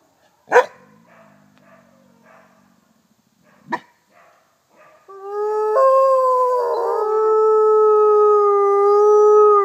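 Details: Captive female Mexican gray wolf F810 (Canis lupus baileyi) at a wolf conservation centre in South Salem, NY, begins a long, steady howl as other wolves, including gray and red wolves, join in a layered chorus.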